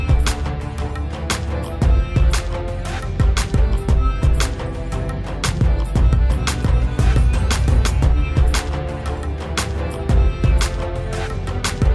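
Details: Loud rhythmic background music with steady beats plays throughout, no animal voice heard.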